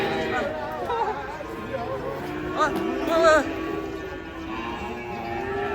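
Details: Cattle coming off a truck at a livestock market in Penambar: several wavering, rising and falling moos with a louder bellow near the end, mixed with background music and people talking.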